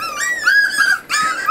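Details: Forty-day-old Miniature Schnauzer puppy from a litter of eight, indoors during weaning; two drawn-out high whines, the first arching up and down, a brief gap, then a second sliding upward.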